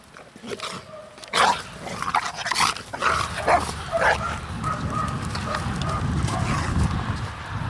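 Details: Pit Bull barking among several dogs, including a four-month-old female puppy called Dea who is aggressive toward other dogs, a four-year-old Dobermann named Rey and a three-year-old male Pit Bull; sharp, harsh barks come in short irregular bursts over a rumbling background.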